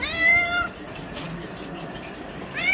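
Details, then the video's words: Domestic cat asking for chicken, giving a loud, drawn-out meow that starts high and slowly falls, followed by a pause and the rising start of another meow, over a faint hum. "میری بلی عریشہ دھمکی دے کر چکن مانگ رہی ہے"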